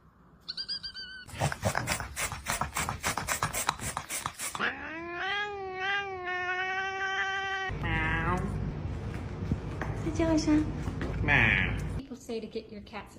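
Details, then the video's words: Domestic cat making funny sounds: a brief meow, a rapid series of harsh bursts, then a long wavering, rising yowl lasting several seconds, followed by rough, noisy cries. "Funny Cats Part-3l Funny Sounds"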